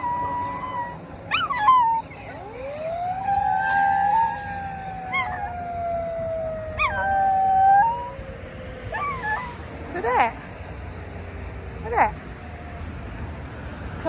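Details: A Miniature Schnauzer howls in response to a fire truck siren, in long, wavering rising-and-falling notes with short yips between.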